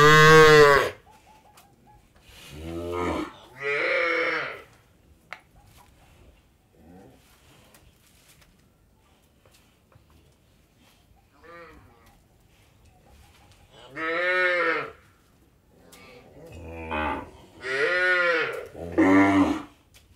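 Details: Cattle at an Indian dairy farm mooing repeatedly, with several loud harmonic lows spaced a few seconds apart and quieter murmurs and faint calls between them in a still barn.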